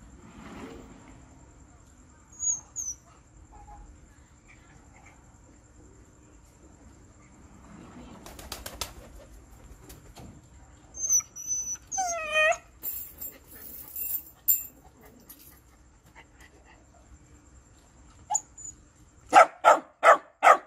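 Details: A Shiba Inu demanding food gives a quick run of four sharp, loud barks, sometimes fierce, sometimes gentle.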